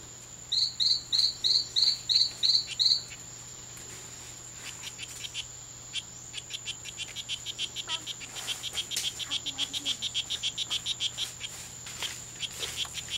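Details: Two male strawberry poison-dart frogs fighting in the C.R.A.R.C. reserve on September 10, 2012, during a daytime fight lasting five hours. A rapid series of about eight buzzy high chirps, then a pause, then a longer, faster train of similar pulsed notes over insect hiss.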